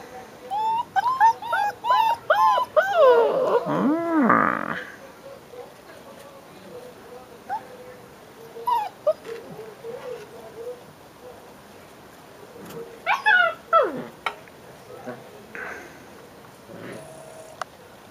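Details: Five-week-old Leonberger puppies whimpering; a run of high, wavering whines and yips fills the first five seconds, then scattered short whimpers return around eight and thirteen seconds, with a man's voice talking faintly in between.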